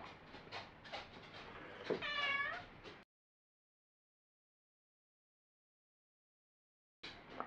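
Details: Me, a pet cat, in a back-and-forth dialogue with its owner, who reads its sounds as calls to play, wanting out or in, protest; scattered noisy sounds, then a clear harmonic meow falling in pitch, silence, brief noise.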